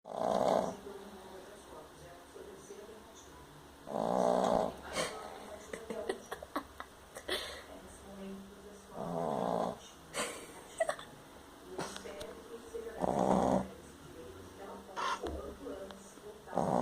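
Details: Dog snoring loudly while asleep, said to sound like a lion's roar: deep rasping snores come in bursts about every four seconds, with quieter breathing and faint household noises between them.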